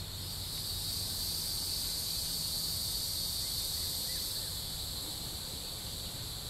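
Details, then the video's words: Neotibicen hieroglyphica cicada, Shoal Creek, Joplin, Missouri, 16 June 2012: an intense, even, high-pitched buzz holds for about four seconds before fading out, leaving low outdoor rumble. "N. hieroglyphica cicada sounds"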